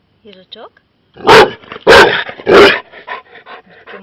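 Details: Pet Labrador Retriever barking loudly at a hedgehog it has found: three powerful, deep barks about half a second apart, followed by quieter huffs, with a woman's voice speaking Ukrainian in the background.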